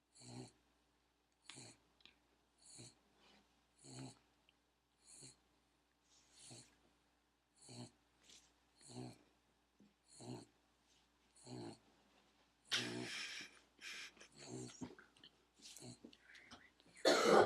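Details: A chubby pug sleeping and snoring: short rasping snores repeated about every 1.2 seconds, growing into louder, noisier snorts and a sharp sound at the very end.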